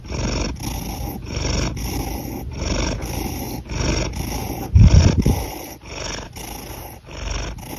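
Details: A cat breathing, with a steady run of soft, raspy, low breaths about every 0.7 seconds and a louder snort-like puff near the middle.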